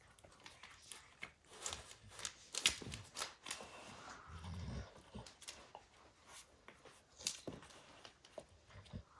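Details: Max the dog chews a baseball hide to pieces indoors. Irregular crunching, crackling bites and tearing bursts come in uneven clusters, with a soft low thump and occasional faint panting in a small room.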